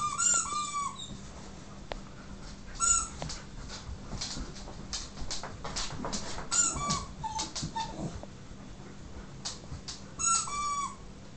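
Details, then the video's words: Siberian huskies worked up by a squeaky toy give short, high, wavering whimpers and squeals every couple of seconds, alongside tapping, clicks and indoor shuffling noises. "Siberian huskies driven mad by squeaky toy"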